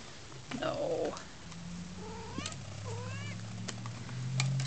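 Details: Pet cat playing with a wand toy and pouncing, uttering several short chirps with upward-sweeping pitch, one after another, then a trill, amid rustling and handling noise indoors.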